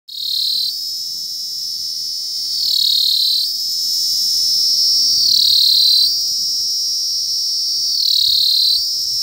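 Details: Indian cicadas in chorus: a piercing, unbroken high buzz that every two to three seconds surges louder and slides slightly upward before settling back.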